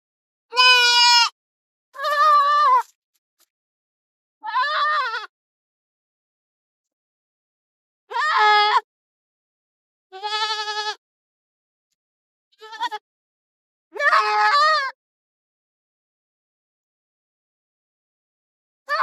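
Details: Goats grazing in forest and field give about seven bleats, some high and thin, others fuller and wavering. Calls come every one to three seconds, then a long quiet stretch follows.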